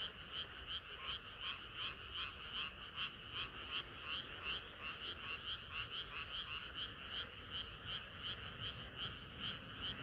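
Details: Frog chorus on a hot summer night. Many voices give quick, evenly pulsed croaking rattles, about two or three bursts a second, merging into a continuous shimmering wall of sound over a soft low hum.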